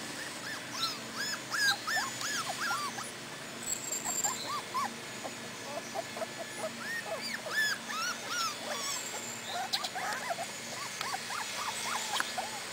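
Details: Four-week-old Cardigan Welsh Corgi puppies in Sweden, outdoors for the first time with their mother, give a busy chorus of high, arched whimpers and squeaky yips overlapping from several pups, with faint clicks and rustling around them.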